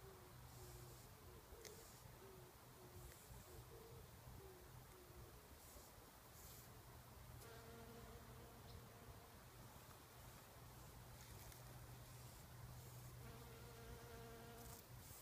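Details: A Bombus ignitus bumblebee sucking nectar inside wild rose (multiflora rose) flowers gives a low, droning buzz that rises and fades in bursts over a steady background hiss.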